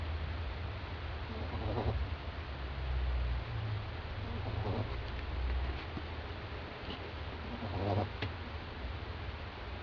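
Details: Doudou, a sleeping French Bulldog lying on a doormat, snoring very loudly; low, rumbling snores recur roughly every one to two seconds over a steady indoor hum.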